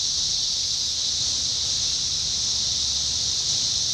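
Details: Continuous high droning hiss from a mass of 17-year cicadas in Indiana, summer 2021, constant in pitch and loudness throughout, over a faint low background rumble.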